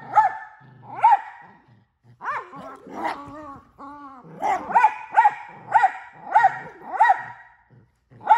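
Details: Miniature Australian Shepherd pet barking and talking: sharp barks mixed with wavering, yodel-like whines and grumbling vocal sounds in the middle, then a steady run of loud barks about twice a second.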